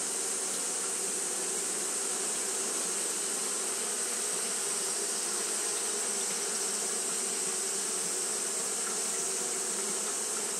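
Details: Japanese honey bees keep up their fanning in hot weather, making a smooth, sustained buzzing drone with a low steady hum beneath a persistent sharp high hiss.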